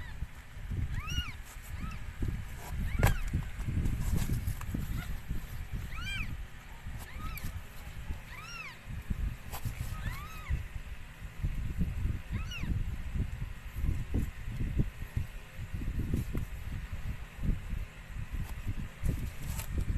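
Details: During the birth of four kittens to a rescued stray cat, high, thin, arched mews repeat every second or two for about half the stretch, over constant low rumbling and handling noise.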